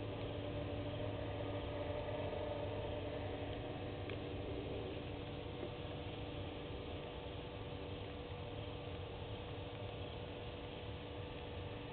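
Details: A steady low engine hum with faint background noise, and no animal voice.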